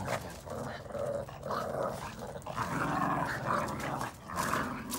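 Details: Playful growling from red Boston Terrier puppies at tug of war with a chew ring; rough, wavering growls in overlapping pulses, rising into whiny tones near the middle, with brief scuffs between.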